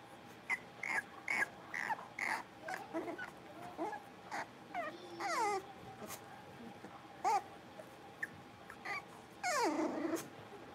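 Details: Playful blenheim Cavalier King Charles Spaniel puppies from a litter of five in their pen; scattered short yips early on, then thin rising and falling whines and a drawn-out squeal near the end.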